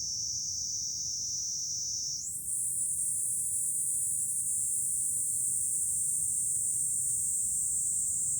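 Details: Cicada chorus in July at a Fukuoka hilltop with a view over the city, Japan; a continuous piercing hiss whose pitch jumps higher after two seconds, then holds steady, over faint low wind.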